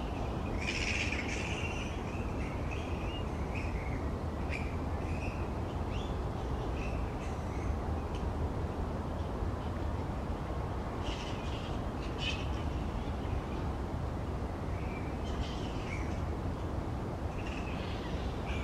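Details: Noisy colony of grey-headed flying foxes roosting upside down in trees; clusters of sharp, scratchy squeals come and go throughout, with quieter gaps between, all over constant low-pitched background rumble.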